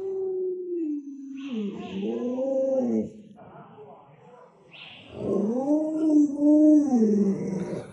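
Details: Household Alaskan Malamute gives a long, steady howl that drops in pitch, then breaks into wavering, rising-and-falling yodel-like vocal phrases, with a short quiet gap and a person's voice in the background.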